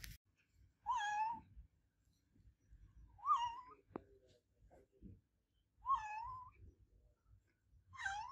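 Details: Loud meowing from Olevia, an adopted pet cat: four long, wavering meows about two to three seconds apart, each rising then sliding down, with a sharp click between the second and third.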